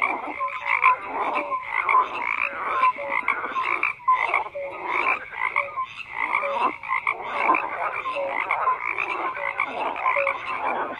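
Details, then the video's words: A crowded frog chorus of rough, overlapping croaks pulsing in uneven bursts, with short tonal blips scattered among them and brief dips in loudness. "FROGS CROAKING"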